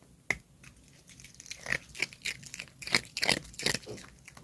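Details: A Maltipoo eating ice indoors, producing sharp, irregular crunches and crackling bites, several per second, growing busier toward the end of the chewing.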